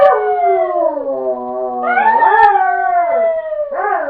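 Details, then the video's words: Dog howling on command: one continuous wavering howl that dips and then swells upward, with a second overlapping voice that gives a layered, harmonised sound. "dog has #swag by howling"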